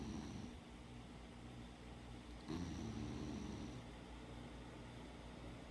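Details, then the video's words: Sleeping rescued dog Molly snores quietly. A brief rasp opens the recording, then a longer, rough, whistling breath lasting over a second follows, with a low room hum beneath. "Molly the vicious snoring watchdog"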